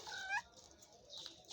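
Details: Mother cat with her kitten, the kitten recovering after being sick; one short meow with a sharp rise at its end, then quiet room noise.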